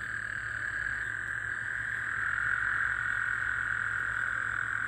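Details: A nighttime chorus of Gulf Coast toads after a recent rainfall, 24 June 2024: an unbroken, buzzing trill that grows slightly louder midway, set over a low constant background hum.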